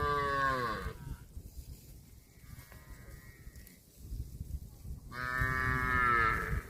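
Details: Cows eating grass, with a strong falling moo at the start, a thin distant moo in the middle, and another loud, bright, long moo near the end, against rustling background noise.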